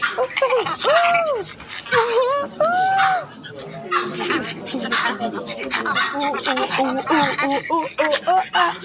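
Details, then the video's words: A silvery gibbon gives a few long, clear swooping hoots that bend up and down, followed by a jumble of shorter chattering notes and broad noisy bursts. "The Silver gibbons sound effects"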